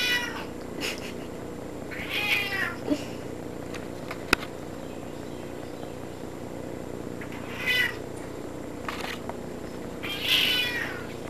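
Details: Pet cat in a tub calling repeatedly indoors: about four clear, harmonic meows spaced several seconds apart, some rising then falling, with a sharp click partway through and a constant background hiss.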